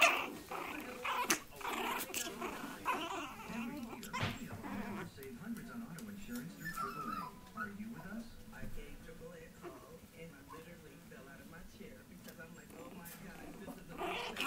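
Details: Long coat Chihuahua puppies, 6.5 weeks old, indoors: low rumbling growls and thin whimpers run through the clip. Human speech and sharp knocks come near the start, with soft handling noises.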